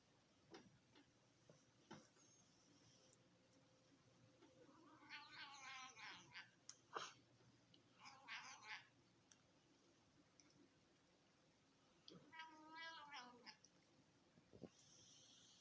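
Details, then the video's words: Female cat making funny noises while being fed by her owner indoors: three bursts of harmonic, wavering meows, each under two seconds, separated by quiet stretches with a few clicks and handling noises. "Cat makes funny Noises beeing feeded by her Owner"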